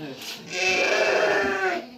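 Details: Lambs about one and a half months old at evening feeding time on a farm. A single wavering, nasal bleat held for over a second, with a man talking faintly before it.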